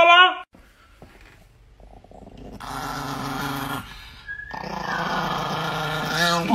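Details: Angry Chihuahua growling indoors: low, rumbling growls in drawn-out stretches, rising into a snarl at the end, with a human voice speaking over parts of it.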